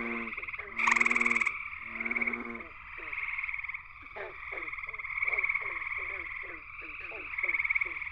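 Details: Gray treefrog (Hyla versicolor), a male calling from a willow at the pond's edge at night in a West Virginia chorus. One loud, rough pulsed trill stands out early, then a continuous chorus drone with many quick, clicky chirps.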